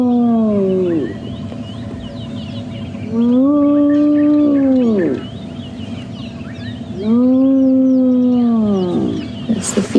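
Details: On a morning drive at Djuma Game Reserve on 11 January 2016, a spotted hyena of a clan with cubs gives long, hollow, high-pitched whoops that swoop up then slide down, repeated every few seconds.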